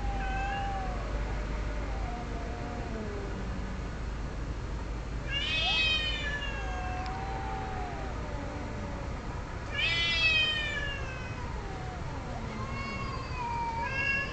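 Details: Several domestic cats yowling during mating: undulating low moans throughout, punctuated by loud rising-falling wails near five and ten seconds and shorter cries toward the end, faint hum behind.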